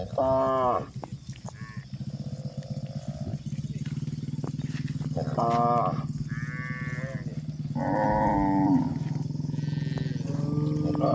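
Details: Several cows walking on a hill in a rural setting, giving a series of short, harmonic moos, some nasal and rising, spaced a second or two apart over a steady low droning hum.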